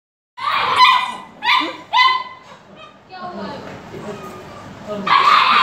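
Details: Dogo Argentino puppy giving three sharp, high-pitched yelps in quick succession over about two seconds, followed by quieter murmuring human speech and a final burst of noise.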